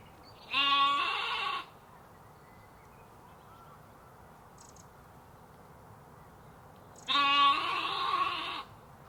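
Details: Sheep and lambs in a farm ambience: two loud harmonic bleats, one near the start and one near the end, each about a second long and wavering, separated by a quiet stretch of low background hum.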